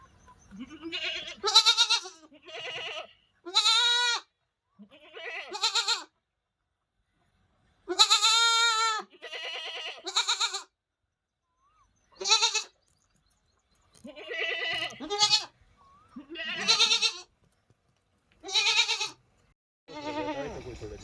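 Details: Goat and her kid talking to each other: about a dozen clear bleats, some short and some drawn out and quavering, separated by brief silences against a quiet background.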